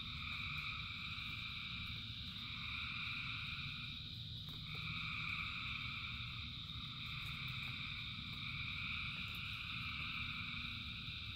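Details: Thousands of frogs calling in rain form a dense, unbroken chorus of layered high trilling bands that dip briefly near four seconds, over a steady low rumble of rainfall.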